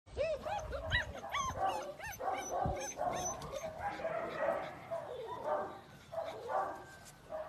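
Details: German Shepherd puppies give high, wavering whimpers and yelps, each a rising then falling whine, packed closely in the first three seconds before softer overlapping whines and lower yips carry on through the rest.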